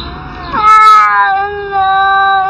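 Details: Cats arguing; a loud, sustained, slightly wavering yowl that rises abruptly and then holds steady for about two seconds.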